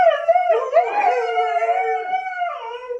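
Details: Pet Siberian Husky howls back during a playful scolding about a mess at home; continuous wavering, yodel-like howl with bending pitch and strong harmonics, dipping and rising over three seconds.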